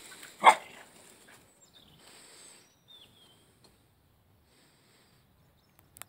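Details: Dog Frodo playing with his toy egg gives a single abrupt bark, followed by thin squeaky sounds and quiet rustling before near silence.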